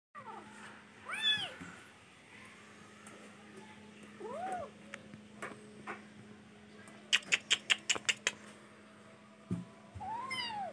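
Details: Kitten indoors giving three arched, rising-then-falling meows spread through the stretch, with a quick burst of sharp tapping clicks between them and a steady low hum underneath.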